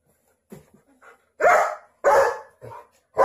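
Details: German Shepherd protecting babies and kids: a few soft short yaps, then two loud, deep, full-bodied barks about half a second apart, and a third bark starting at the end.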